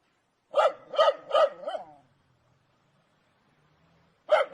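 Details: Angry dog giving a run of four sharp barks, the last one trailing off, then about two seconds of near silence before another bark starts.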